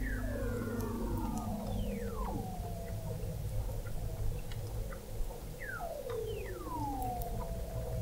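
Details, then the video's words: Weddell seals beneath the sea ice at McMurdo Sound, Antarctica, recorded in November 2017 from an observatory 21 m deep; several curved downward-swooping whistles, some in quick pairs, overlap over a low rumbling background. "Song of the Antarctic Weddell Seal"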